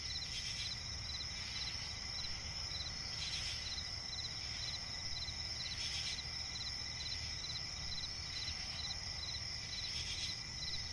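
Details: Crickets at night in a forest swamp give rapid, evenly spaced chirps, about two each second, layered over a continuous piercing drone. Short noisy bursts recur every few seconds over a low rumbling background.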